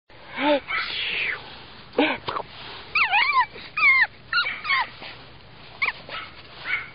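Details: Fawn male Pug puppy making high, thin whines that swoop up and down in short bursts, some broken into wavering chirps, with a person's voice mixed in.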